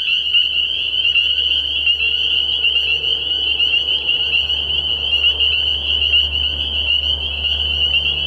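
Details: Chorus of spring peepers at a frog pond at night in early spring, their many high piping notes merging into a continuous shrill ring, over a soft low droning hum.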